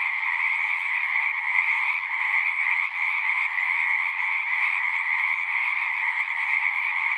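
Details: Massed frog song from a pond in a horse pasture, Zoom recording; countless voices blend into a steady high-pitched trilling drone over a softer lower band, keeping an even level throughout.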